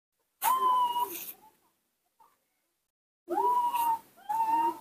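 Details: Nomi, a baby monkey kept indoors, calls out when his father is not nearby: three drawn-out, clear, whistle-like coos, steady in pitch with a slight downward curl, the last two close together after a pause.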